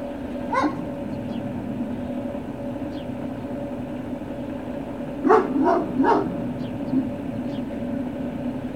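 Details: Great Dane puppies recorded 21 March 2019 around late morning: a single sharp yelp near the start, then a quick run of three loud barking yips close together, over a constant mechanical hum and low rumble.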